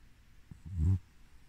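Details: Coco, a sleeping Havanese dog aged 2 years and 11 months, gives one short, low, rumbling snore lasting about a quarter second, its layered tones deep and throaty, with a couple of soft breathy puffs just before it in a quiet room.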